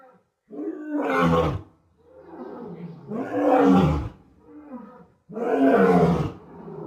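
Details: West African lion roaring: three long, deep, drawn-out roars, each swelling and fading over about a second, separated by short pauses, with quieter grunting between them.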